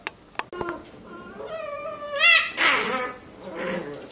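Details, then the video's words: Labrador Retriever puppies at play, relaxed and messing about together indoors: high, wavering whines that rise and bend, then a louder strained yelp and a fainter trailing whimper, after a few sharp clicks. "Die Welpen spielen total entspannt miteinander und machen Blödsinn."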